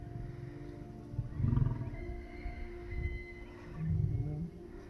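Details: Male lion courting lionesses at the Taigan lion park in Crimea: two low, rumbling grunts, the first near one and a half seconds and the second near four seconds, quiet against a faint steady background hum.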